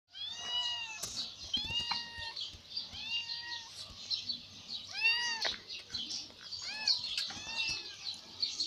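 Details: Ginger cat that has just caught another catfish from a fish pond, meowing again and again, about every second: short rising-falling cries with bright overtones, over a steady high-pitched hiss and a low hum.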